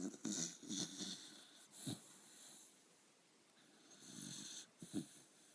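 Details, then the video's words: Jocky, a Jack Russell Terrier, snoring while asleep: rough, breathy snorts in uneven bursts, a loud cluster at the start, then quieter wheezing breaths with sharp snuffles near two and five seconds. "Jocky snoring (Jack Russell)"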